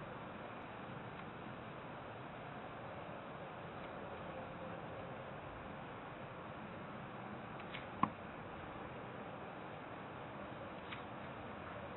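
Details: Steady low hiss fills a quiet indoor space, broken only by a single sharp click near the end, with no animal voice present.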